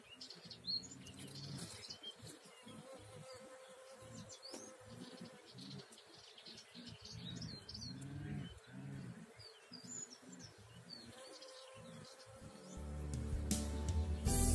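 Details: Bee visiting an orange blossom on 14 April 2019; a low droning buzz that swells and fades in uneven bursts as it moves, with small birds chirping and twittering in the background and a rustling burst near the end.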